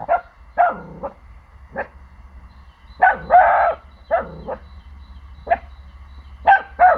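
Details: Pomsky puppy, four months old, guarding his territory and unsure of noises from next door, gives a series of irregular high barks and yips, some drawn out, with a faint background hum between them.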